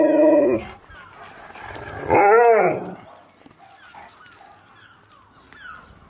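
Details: Siberian Husky, reunited with his best friend and hearing his favourite words, gives a loud harmonic howl, then a second arched wavering 'woo' that rises and falls, followed by quiet background sounds.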